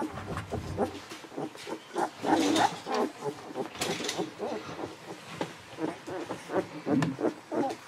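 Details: Newborn Golden Retriever babies, 11 to 13 days old, from Aiko of Haarby and Lady Dina, squealing and grunting in dense overlapping bursts, their thin tonal whines broken by louder rustling noises.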